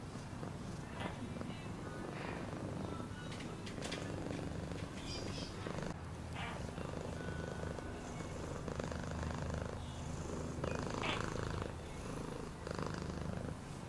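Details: Continuous rumbling purr of a cat underneath scattered clicks, short thin whistled tones and faint murmuring noise in the background.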